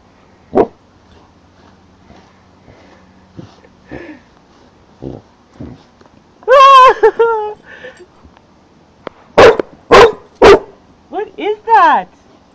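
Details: Four-month-old St. Bernard puppy outdoors barking at a large green caterpillar; loud harmonic yelping barks in bursts near seven and ten to twelve seconds, with a woman's voice telling the puppy to leave it.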